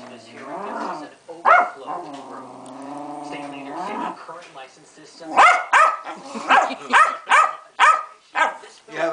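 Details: Pancake the Keeshond, a female, having a fit: a long, steady, harmonic moaning whine for about three seconds, then a rapid run of sharp, high barks.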